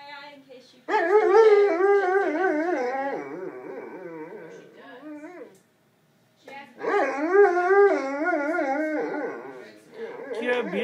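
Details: Purebred Alaskan Malamute male at a pet hospital, howling after waking from anaesthesia following a dental cleaning; two long wavering, warbling howls with a short silent gap between them, rich in harmonics.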